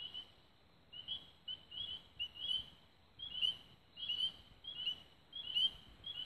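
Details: Evening frog chorus near Raven Rocks in Belmont County, Ohio, recorded 24 May 2016 at dusk; shrill short chirps, sometimes doubled, come in uneven bursts roughly every half second to a second, several callers overlapping.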